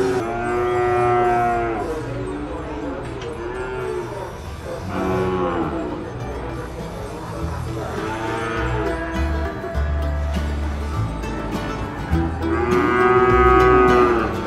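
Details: Cattle lowing at the Nueva Guadalupe livestock market in El Salvador: a series of loud, rich moos, some arching up and down in pitch, recurring every few seconds across the recording amid background market bustle and clatter.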